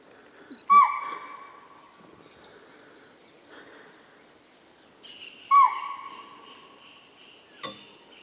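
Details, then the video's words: A chital at Kanha, India, gives two sharp, loud barking calls several seconds apart, each trailing off briefly. "Chital call at Kanha"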